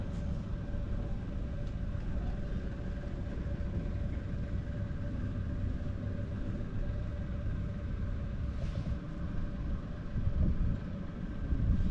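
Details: Steady low outdoor rumble of vehicles in an urban setting, with a faint hum and no animal calls.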